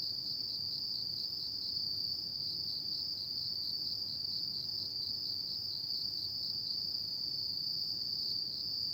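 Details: A night-time chorus of autumn insects forms a continuous shrill ringing tone at a constant high pitch, unchanging in loudness throughout, with only a soft low background hiss.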